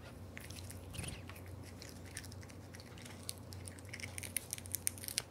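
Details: Aura, a male Devon Rex cat born July 2021, eating a big unseasoned dry fish, captured close up in ASMR style: a steady run of sharp crunches and bites over a low hum, with brief bright clicks near the end.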